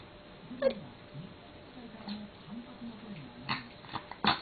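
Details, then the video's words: House cat Kou-chan voices complaints mid-meal because its food has slid to one side: a series of low, wavering, arched moans, interrupted by sharp crunching clicks from eating in a small room. "食べてる途中に文句を言うこうちゃん He complains eating."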